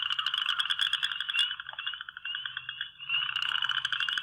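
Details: Western chorus frogs in a Michigan breeding pond in spring give rapid, rising trills lasting one or two seconds, like a fingernail run along a fine-toothed comb.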